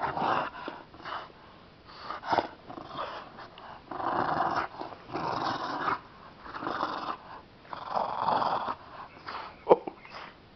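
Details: A Bulldog and a Chihuahua roll around at play; repeated throaty growls in bursts of about a second with short pauses, a sharp click near the end, indoors.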